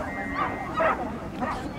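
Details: Norfolk Terrier at an agility event on 28 March 2009, giving a few short, sharp barks and yips under steady crowd chatter and nearby human voices.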